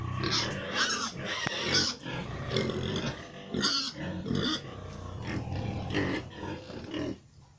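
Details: Gilt destined to become a breeding sow, F2 crossbreed of Pietrain with Landrace and Large White, grunting almost continuously in dense rough bursts, with a few sharper squeaky notes and a steady low background hum.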